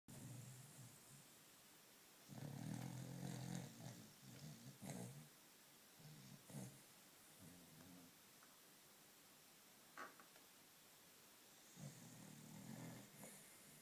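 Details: Jack Russell terrier lying asleep on his back, snoring: low rumbling, throaty snores in uneven bursts, one long loud rattle early on, then softer snorts and breaths with quiet gaps, and another rumble near the end.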